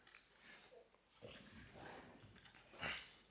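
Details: French Bulldog, a pet dog indoors, making odd noises: soft snuffling grunts and short throaty sounds, ending in a louder breathy squeal near the end.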